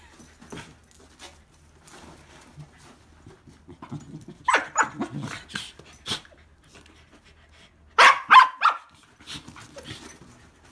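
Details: Two Pembroke Welsh Corgis, sisters Hina and Seri, roughhousing in mock wrestling at an inn on arrival. Soft scuffling and low grumbles, then bursts of quick excited barks around the middle, a tight cluster of loud yaps near the end, indoors.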